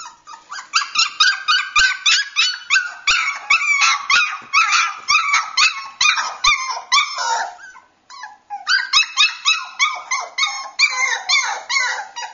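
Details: Cockapoo puppies indoors, with a person telling them to go find toys; rapid high yipping and whining calls, repeated several times a second almost nonstop, a short pause near eight seconds, then more yips.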